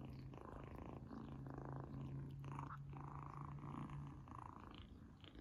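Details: Young female kitten enjoying her first treat: a steady, low, rumbling purr running throughout, with soft smacking and chewing sounds layered over it.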